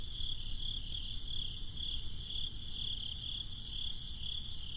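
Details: Summer night crickets chirp in a rapid, even rhythm of short high bursts, roughly three per second, with a constant breezy low rumble underneath.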